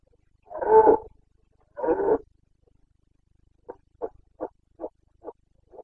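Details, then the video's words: Carpathian red deer stag roaring in the Bucovina mountains, Romania, during the breeding season rut in late September 2022. Two long hoarse bellows open, followed by six short grunting barks in a steady series. "Boncănit / Carpathian stag Breeding season"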